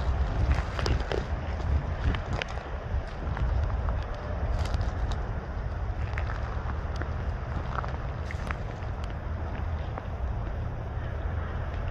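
Low, steady wind rumble and handling noise, with no animal calls.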